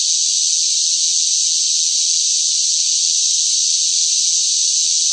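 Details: Loud cicada chorus in sweltering summer heat: a dense, unbroken high-pitched buzzing drone that holds steady at the same level throughout, with no other sounds.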